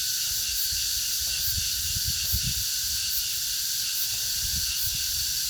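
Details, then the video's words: Cicadas in August keep up a loud, even high-pitched buzz with regular swells, accompanied by scattered low thumps and rumbles in the background. "the sound of the cicadas in August(8월의 매미소리)"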